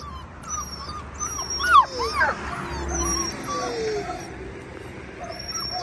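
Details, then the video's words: Stressed puppy with its worried mother, unable to follow her into a garden; thin high whimpers sliding up and down, several short cries around the second and third seconds, over steady outdoor background noise and faint birdsong. "Poor puppy and her mother"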